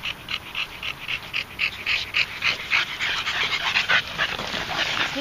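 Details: Close, loud rapid panting from a red Staffordshire Bull Terrier that tires from walking, harsh breathy pulses about three to four per second, steady throughout.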